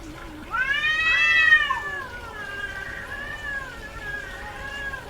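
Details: Female domestic cat in heat, yowling: a loud, drawn-out harmonic meow that rises then falls over about one and a half seconds, followed by softer, lower wavering cries with a second pitched voice overlapping beneath.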